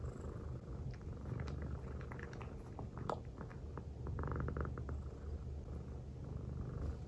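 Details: Silver tabby American Shorthair female cat purring while resting on a person's belly, showing affection; low continuous rumble with scattered small clicks and rustles over it.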